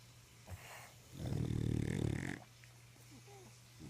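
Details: English Bulldog sleeping and snoring indoors at home: a single long, rattling, guttural snore of about a second, rough and vibrating low down, between quieter breaths over a steady background hum.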